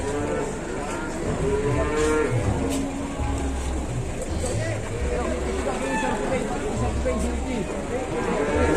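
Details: Crowded cattle on an overloaded truck in Indonesia moo in short, clipped bursts and a few longer lows amid a dense mix of men's shouting, clattering and a steady low rumble.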